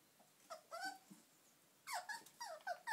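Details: Eight-week-old puppies from a litter of two males and three females, playing indoors with a squeaky chicken toy; short high whiny yelps and squeals, several bending up then down, in two bursts separated by a quiet pause.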